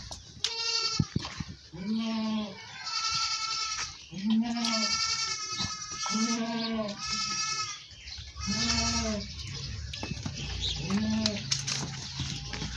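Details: Goat at milking time in a village, giving five or six loud, wavering bleats spaced roughly two seconds apart, each rising then falling, with faint voices and handling noises beneath.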